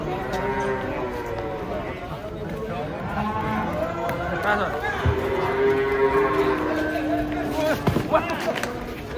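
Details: Giant cattle jumping down from a truck, giving a drawn-out low moo with rich stacked harmonics that holds steady for about two seconds, over a steady background of people talking and exclaiming nearby.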